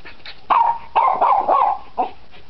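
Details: Nine-week-old Cairn Terrier puppies at play give high, yappy barks and yips in quick bursts, several overlapping calls packed into under three seconds.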